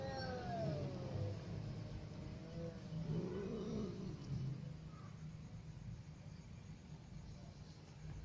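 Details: A kitten and an adult cat together: several drawn-out, wavering meows rise and fall in the first few seconds, then fade, heard over a steady low rumble of background noise.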